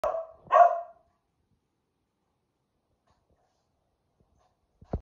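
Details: A male Keeshond barking indoors, then falling quiet once filming starts: two short rough barks in the first second, then silence apart from faint clicks at the end.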